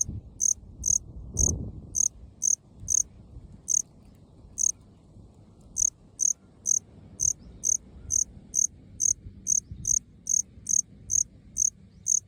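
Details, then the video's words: Okinawan Melanogryllus bilineatus, male, singing from short lawn in an open field: a steady run of crisp, high chirps about two per second, slightly irregular spacing, with one short thump early and faint low background noise. "虫の鳴き声 マメクロコオロギ オス♂ Melanogryllus bilineatus"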